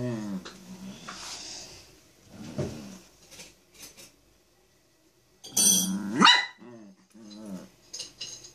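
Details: Chihuahua indoors demanding to be petted gives short nasal whines and yelps in uneven bursts, with a louder whining outburst midway and quieter whimpers after, amid soft rustling.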